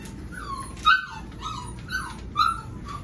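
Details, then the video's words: Whining Golden Retriever puppies aged seven weeks, Pearl's litter: about five high, downward-sliding whimpers spaced roughly half a second apart, the loudest near the start and end. "Pearl’s puppies, 7 weeks"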